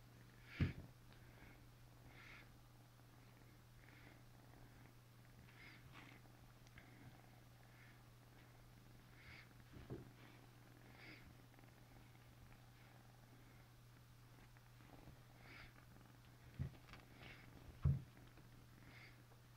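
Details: Continuous low rumbling purr from an Asian leopard cat, faint airy breaths recurring at intervals, and a handful of sudden clicks or bumps near the start and end.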